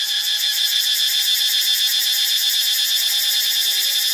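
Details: Cicadas in Ubon Ratchathani, Thailand: a loud, dense, high-pitched metallic buzz, steady in volume, with a rapid throbbing pulse of roughly four beats per second running through it.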